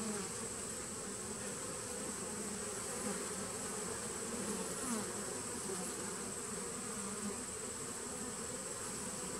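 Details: Nucleus hive of honey bees from 2017, recorded 19 September 2018: a thick, even buzzing hum that barely changes, many insects droning together under a constant faint hiss.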